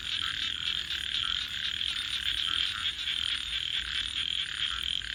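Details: Nighttime frog chorus with many overlapping callers producing a continuous pulsing, trilled buzz over a steady background hiss.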